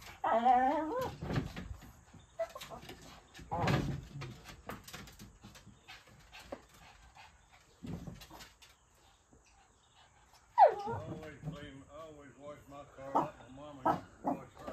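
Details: Pet dog Mitzi barks while chasing a large ball during play: scattered yips and whimpering cries, a loud burst near the end followed by a rapid run of high whiny barks, with bumps and rustling between.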